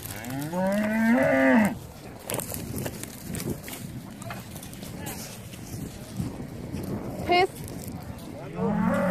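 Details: Hereford cattle landing on Skarø island, Denmark, on 13 April 2016, brought by boat to graze through summer; one long moo at the start and another beginning at the end, with rustling and background noise between.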